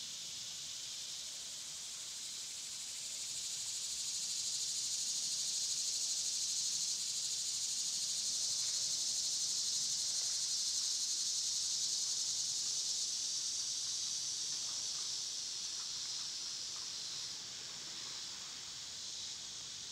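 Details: Summer cicadas chorus in a loud, unbroken hissing drone, rising in strength after about three seconds, holding steady through the middle, then easing off near the end; no other clear sounds.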